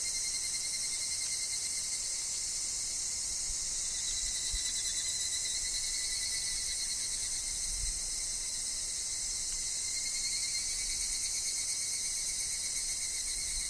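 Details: Evening cicadas, higurashi, sing in a windy wood with falling leaves, their pulsing shrill phrases rising and falling twice against an unbroken high-pitched insect chorus.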